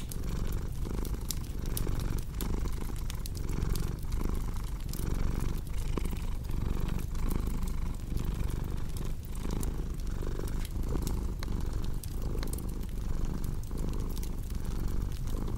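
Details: Continuous purr of a cat, a soft low drone broken by short breathing pauses, set against the frequent snapping crackle of fireplace logs.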